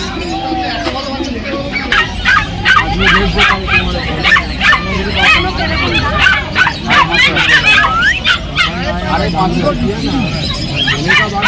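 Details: Golden Retriever puppies for sale at the Galiff Street pet market in Kolkata, India, give quick, sharp barks and yips, several a second, over steady crowd chatter and market bustle.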